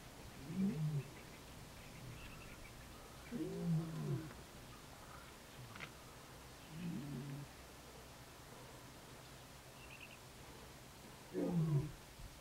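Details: Wild lions in Kruger National Park call and roar, then give deep, throaty grunts spaced a few seconds apart as a greeting during a heartfelt reunion.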